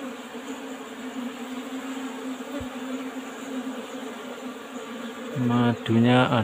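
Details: Asian honey bees humming inside an old-style box hive during honey harvest: a steady low drone for about five seconds, then a man's voice speaking loudly over it at the end.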